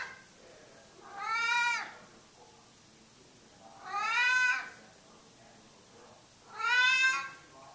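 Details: Domestic cat, named Mickey Mouse, meowing while hidden under a cover; three drawn-out, harmonically rich meows that rise then fall, spaced about two and a half seconds apart in a quiet indoor room.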